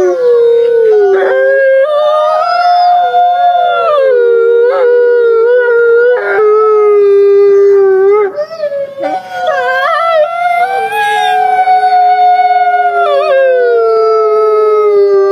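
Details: Grey wolves howling and whining together. Many overlapping voices waver, rise and fall continuously, with short yelping breaks between longer held notes throughout.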